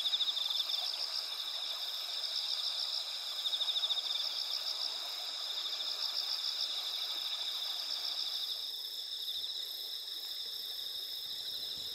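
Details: Night chorus of autumn insects in the rural paddy landscape of Asuka Village, Japan, on the eve of the harvest moon, 20 September 2021: continuous high-pitched trilling with brief pulsed bursts early on, then one layer drops out, leaving a thinner steady ringing.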